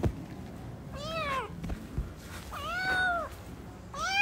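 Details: Newborn kittens playing, three drawn-out arched meows, each rising and then sliding down, separated by short gaps with a soft thump and low room noise.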